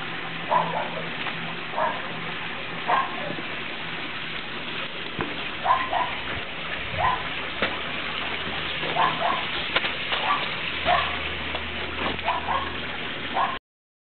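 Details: Eight-week-old Norrbottenspets puppies sit out in the rain, unhappy about the weather. They make scattered short whimpers and yips every second or two, with a brief low rumble partway through. Rain noise and a low hum continue behind.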